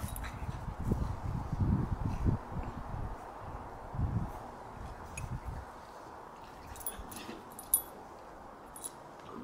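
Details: Five-year-old Bullmastiff Riley at play with Lucia, a French Bulldog puppy about nine weeks old: deep rumbling growls and huffs come in irregular bursts through the first half, then fade to quieter scuffles with scattered light clicks.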